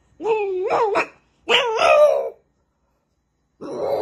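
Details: French bulldog puppies: two drawn-out, wavering whines about a second long each, rising and falling like vocal 'talking', separated by a short pause, then a harsh, noisy burst begins near the end.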